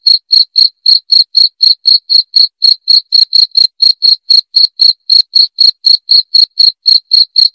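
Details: Crisp, high cricket chirps presented as a rat deterrent, pulsing steadily at about four a second throughout, with a few slightly doubled beats and a silent background.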